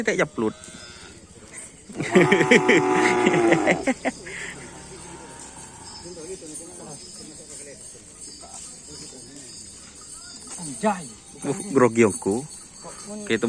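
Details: Newly acquired bull for kerapan sapi racing, tried out on the Asemanis field: one drawn-out, deep harmonic bellow lasting about two seconds, then scattered short voices, chatter and laughter from people nearby.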